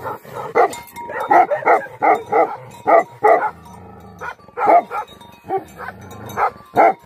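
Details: Rapid, forceful barking from an angry Tibetan Mastiff (Bhote Kukur), with a brief low growl in the middle before the harsh barks resume in quick succession.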